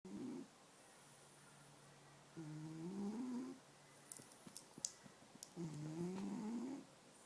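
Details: Black and white pet cat named Ning snoring while asleep beside its owner indoors: low, droning breaths with a faint tonal hum, each lasting about a second and coming every few seconds, with soft clicks and small rustles between.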